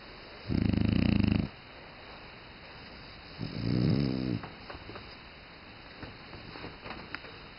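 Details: French Bulldog asleep and snoring: one strong, grating snore followed by a softer, fluttering one, then quieter breathing with small clicks.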